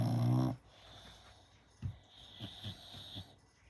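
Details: Gina, a five-month-old American Staffordshire Terrier, snoring while asleep. A loud, tonal burst opens, then soft, low, rhythmic snorting breaths follow about every half second.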